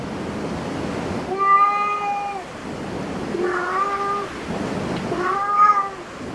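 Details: Cat cafe cats mewing repeatedly, three level, tonal meows each lasting about a second, spaced through the recording against soft room hiss.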